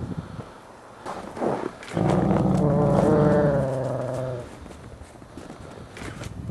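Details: Gray wolves, captive ambassador wolves, during a daily dominance interaction on 15 December 2008: a loud, low rumbling growl rises into a sustained harmonic snarl lasting about two and a half seconds, then fades, with scuffling before and after.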